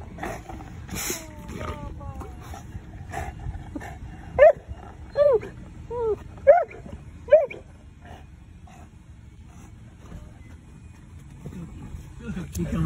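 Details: Big female Boerboel, excited that her mum is behind, lets out four rising-falling whining yelps about a second apart, mixed with a woman talking and background rumble.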